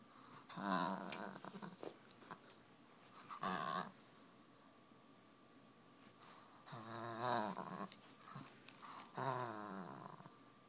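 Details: Boba Fett, a 10-month-old Miniature Pinscher rescue pup, growling indoors in a small room: rough harmonic growls in short bursts separated by quiet gaps, several longer rumbling bouts near the end.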